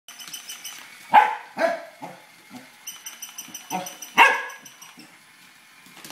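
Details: Tibetan Terrier barking while chasing a toy rat indoors; a few sharp barks spaced a second or more apart, with a steady high whine and a person speaking quietly in the background.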